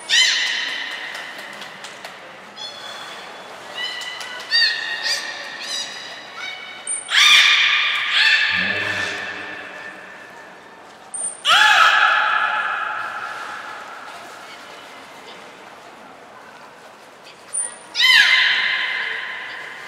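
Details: Belugas Hodoi, Taanya and Mirai at Port of Nagoya Public Aquarium, 14 March 2021, moving pools and training; series of harmonic squeals and creaky calls, some bending down, repeated bursts, brief high thin tones, reverberant hall.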